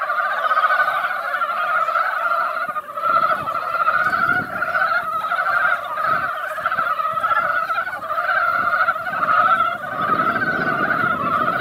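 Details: Mountain frogs assembled in a mountain pond after a light rain keep up a thick, pulsing chorus of overlapping croaks, swelling and easing in waves, over a low rumbling background noise.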